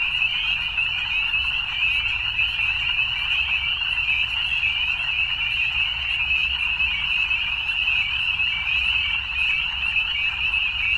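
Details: A thick evening chorus of frogs: countless overlapping high-pitched trills merge into one continuous shimmering drone, steady in loudness throughout, over a soft low background hum.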